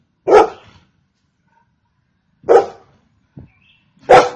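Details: Three loud, isolated barks from a Golden Retriever spaced about two seconds apart, with a soft low thump between the second and third.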